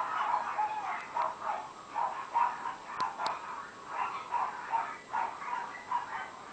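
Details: Female Shih Tzu puppy, 70 days old and very small; a run of high, thin yips and short barks repeated roughly every half second, over a steady background hiss with a couple of sharp clicks.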